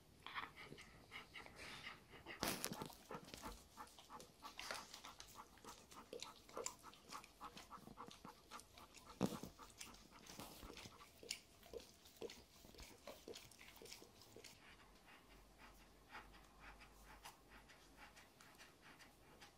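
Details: A Golden Retriever mother with her 9-week-old puppy pants softly in a small room, with scattered clicks and sharp knocks.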